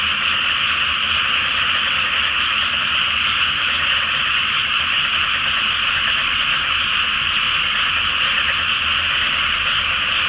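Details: Great massed chorus of frogs on a moonlit night in a Japanese rice field flooded before planting; steady, dense trilling croaks pour out continuously for the whole stretch, an unbroken wall of sound over a soft low hum.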